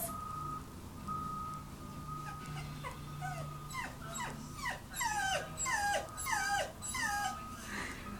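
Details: Welsh Terrier whimpering as its owner says they are going to Grandma and Grandpa's. Quiet, steady tone at first, then sharp descending whines repeat about once a second and grow louder over a low hum.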